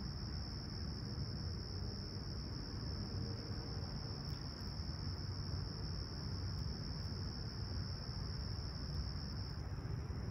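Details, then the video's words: Summer dawn chorus of crickets at Toronto's Humber Bay Shores, 28 July 2020, calm and clear at 20ºC; one continuous shrill ringing tone holds throughout, layered over a constant deep rumble like distant traffic. "Serene Summer Toronto Morning With Chirping Crickets"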